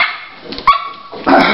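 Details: Dolly, a Toy Pinscher bitch in early labour, gives one short, sharp, tonal yelp that drops off quickly, followed by a burst of rustling noise.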